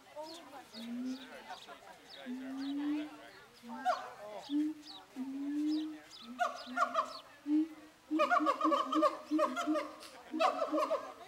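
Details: Siamangs in a zoo, Zooworld, hooting at each other: low drawn-out booming notes at first, then growing bouts of harsh barking calls in quick runs toward the end.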